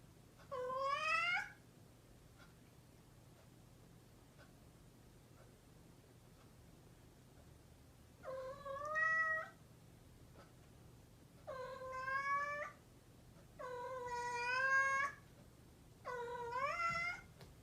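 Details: A domestic cat meows repeatedly, five calls in a row, each about a second long and slightly rising. The gaps between them shorten from several seconds to about two, and a soft hum runs underneath.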